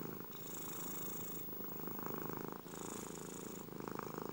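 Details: Close, vibrating cat purr with a fast buzzing flutter, rising and falling across two long breaths, each inhale adding a faint airy hiss above the low rumble.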